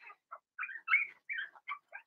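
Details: Blenheim Cavalier King Charles Spaniel puppies from a litter of six, two females and four males born March 7–8, in a home puppy pen during potty training; short high squeaky whines and yelps in quick bursts, some rising, about every quarter second.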